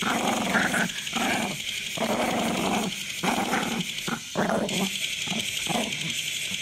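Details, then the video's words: Grumpy small papillon dog growling in rough, rasping bursts of about half a second to a second, broken by brief silent pauses, around seven bouts in quick succession, indoors with no other clear sounds. "J.K. Growling - Just another grumpy papillon"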